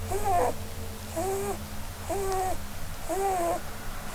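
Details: Dreaming indoors under a Christmas tree, the female Holland Lop rabbit Blueberry gives four soft, nasal, slightly wavering whistles, each about half a second long and a second apart, over a low background hum.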